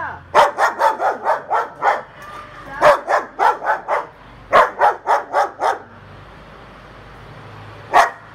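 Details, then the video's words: Female German Shepherd puppy barking in rapid bursts, about a dozen loud sharp barks over five seconds in two quick series, then quiet and one final bark. "Cachorra Pastor Alemão Igual o Hulk Latindo"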